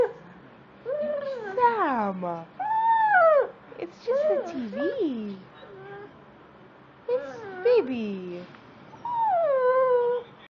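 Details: Beagle named Sam watching Animal Planet on TV, giving a series of drawn-out howling and whimpering yelps that slide downward in pitch, several separate bursts with pauses between them, indoors.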